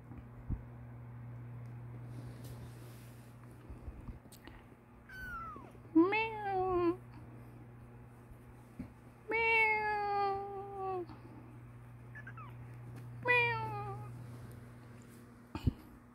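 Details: Kitten nicknamed white-lion cat, awake from a nap and playing, teeth starting to grow and trying biting attacks: about five clear, drawn-out meows, each sliding downward in pitch, spaced a few seconds apart over a steady low indoor hum.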